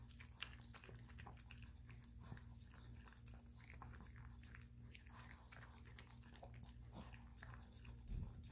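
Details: Maltese named Dubu, a dog with two small kidney stones, eating brown rice soup given as a hydration snack two to three times daily after being coaxed. Quick crisp chewing and lapping clicks repeat throughout over a steady low indoor hum.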